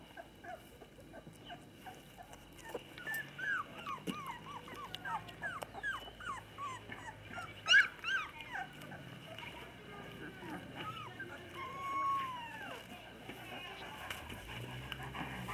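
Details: Female Labrador Retriever pups aged 20 days, playing with their parents at a kennel in Olivares, Sevilla, Spain, during early socialisation; dense overlapping high whimpers and squeals, some drawn into longer falling whines, with one loud yelp midway.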